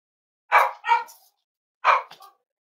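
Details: Cavalier King Charles Spaniel puppies at home on a warm Friday morning give two quick high barks, then after a short pause a third bark trailing into a small yip.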